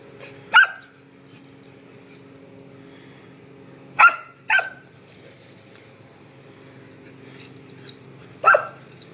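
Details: Lumi, a Samoyed puppy, dashing around in laps and letting out four single sharp barks spaced a few seconds apart, one quick pair in the middle, over a faint steady background hum.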